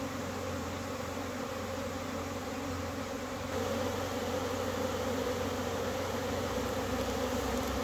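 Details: Bees crowding the air in April after a cold snap; a continuous low droning buzz that grows louder and fuller midway, over a faint deep hum.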